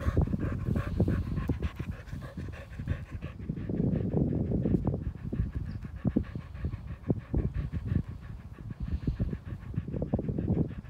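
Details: Keeshond named Bodhi on a morning walk outdoors, panting steadily in quick rhythmic breaths, dense low huffing bursts with brief louder clusters throughout, faint outdoor background.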